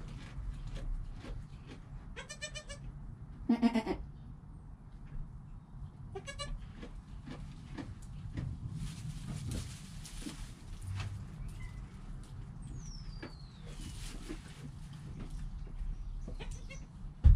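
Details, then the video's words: Joel, a goat kid less than an hour old, recorded by GoPro with his mother Penny nearby, utters three short, quavering bleats, the middle one loudest, amid rustling and a steady low hum. "4K Baby Goat - One Hour Sound and Video"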